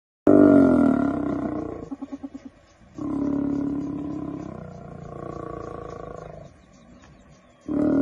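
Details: Lion in the wild confronting a pack of hyenas: loud, harmonic, drawn-out roaring and growling vocalisations, with a short pulsed grunting burst near the two-second mark and sustained rough calls continuing after a pause.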